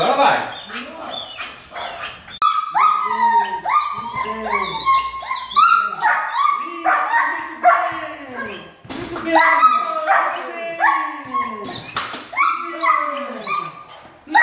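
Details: A German Shepherd at the start of attack and protection training gives a fast run of sharp, harmonic barks, roughly two each second, some breaking into higher yelping notes, with a man's voice speaking between the barks.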